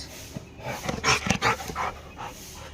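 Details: Pet Labrador and street dogs barking: a quick run of rough, noisy barks and huffs, loudest in the middle, followed by a few softer fading barks.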